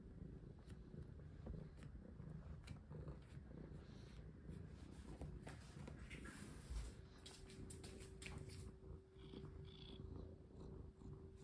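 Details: Domestic cat in an apartment during play and while a collar is put on; a steady low purring rumble continues throughout, with sharp clicks and rustling from handling and a faint steady tone in the second half.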